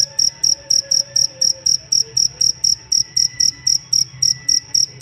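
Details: Master chirping of a cricket for teaching songbirds: rapid, evenly timed shrill pulses, around twenty, while faint whistled tones drift softly in the background.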